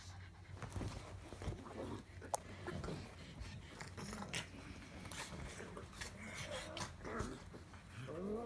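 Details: Pug grumbling and panting, low throaty rumbles mixed with snuffly breaths and short nasal whines toward the end, plus clicks and handling noise.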